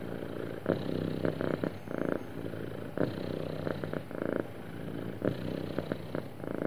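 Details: Sweet, happy house cat purring: a smooth, grainy rumble that swells and fades in a regular breathing cycle, louder pulses arriving about every second or two.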